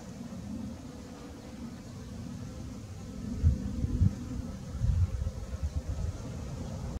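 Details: Morning in a backyard garden, several honey bees at work pollinating; a continuous low droning buzz, with stronger uneven low-pitched bursts and bumps from about halfway through.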